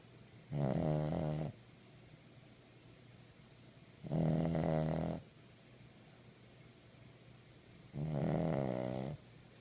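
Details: Snoring King Charles Spaniel, three long rasping snores spaced about every three and a half seconds, low droning rattle with a brighter hissing top, near silence between breaths in a small room.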